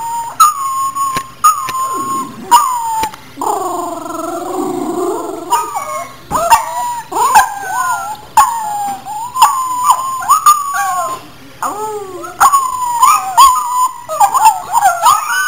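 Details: Pet dog howling and crying each time a second dog whines, recorded on a Polaroid camera; loud, wavering tonal howls with rich harmonics, bending up and down in short bursts, broken by sharp clicks and yips.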